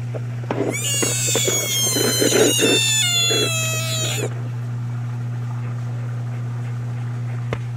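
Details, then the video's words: Screaming American bullfrog giving one long, loud, wavering cat-like wail with many overtones, gradually falling in pitch and stopping after about three and a half seconds, leaving only a constant low hum and a few faint clicks. "Screaming bullfrogs"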